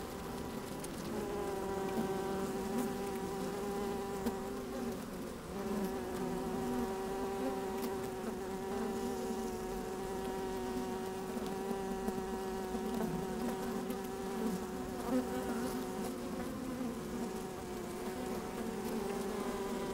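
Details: Worker honey bees moving about an opened hive on a fine sunny day, recorded inside the colony: a long, steady, many-layered hum that barely varies, with faint rustling and occasional ticks.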